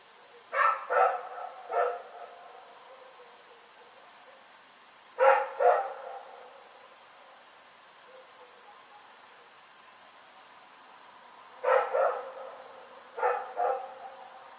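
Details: Rex the dog barking in the night on 27 February 2018, three bursts of two or three quick, sharp barks separated by several seconds of quiet, each bark fading with a slight echo.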